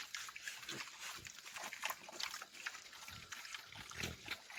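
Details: Pigs grunt on a countryside farm (roça): dense, scratchy, snorting bursts repeated every half second or so, with a few deeper grunts near the end.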